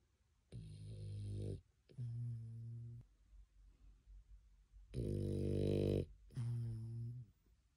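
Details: Pet dog asleep after coming back from a walk, snoring indoors: low rumbling breaths of about a second each, two close pairs separated by a quiet gap, with faint room noise between them.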